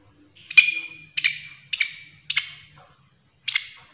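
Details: Loud grasshopper call: five separate bursts, each a sharp high buzzy chirp over a steady ringing tone that fades away. They repeat roughly every half second, then a short gap comes before the last one. A faint low hum sits underneath.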